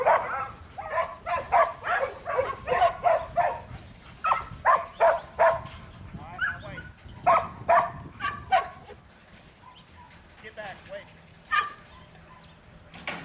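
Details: Young male Border Collie in training, a futurity prospect for 2012, barks in a rapid, uneven series of short sharp barks, about two or three a second. The barking thins out toward the end with a few scattered barks.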